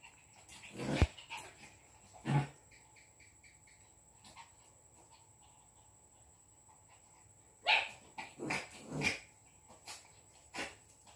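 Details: Jack Russell and Lhasa Apso dogs in an intense yet funny fight: a few sharp barks and snarls come in scattered bursts with quiet gaps, plus a steady high electronic whine throughout.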